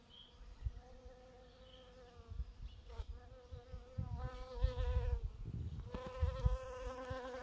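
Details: Bees foraging on purple dead-nettle flowers: a droning, harmonic buzz that comes and goes in bursts, fading and returning several times, over a low rumbling of wind or handling noise.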